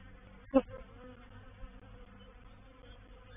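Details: Bees from a reproductive honey bee swarm taking over a bait hive, 04/07/21. Quiet background hum, with one bee buzzing loudly past early on, a short sharp whine that quickly fades back into the drone.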